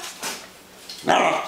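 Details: Pembroke Welsh Corgi coaxed to speak by its owner gives a short, loud, throaty vocal burst near the end, after a quiet stretch of faint room noise.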